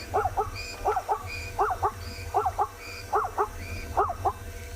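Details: A zebra, possibly a stallion, on a live African safari, repeats a barking call about six times in under five seconds. Each bark is a short, harsh two-part yelp that rises and then drops, over a low rumbling background hum.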